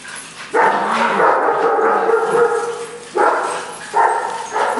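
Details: Puppies less than a year old playing together, among them a Brussels Griffon and a Mini-Dachshund; a long drawn-out harmonic growling bark lasting over two seconds, then two shorter loud barks near the end.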